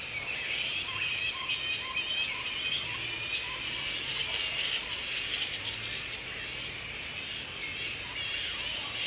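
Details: Woodford, Australia, mid-April: wild grey-headed flying fox colony at breeding time, mating pairs with young nearby; continuous shrill chittering and scratchy squeaks from many bats, rising into louder clustered squawks midway, then settling to steady chatter.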